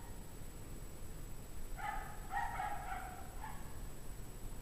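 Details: Barking from a pack of distressed dogs on a 17-degree Fahrenheit January evening at 5:00 PM, 2009. One faint, drawn-out run of several quick barks sits in the middle, surrounded by low, steady background rumble.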